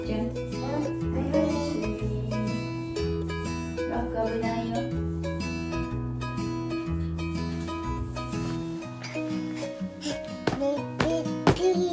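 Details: Plucked string music, ukulele or guitar, plays over a steady bass line, with faint speech and no animal sound heard.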